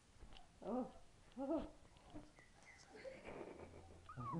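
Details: Belly-crawling puppy from a litter, indoors, giving two arched, moaning whimpers about a second apart, then softer rising whines and faint squeaks, ending on another whine.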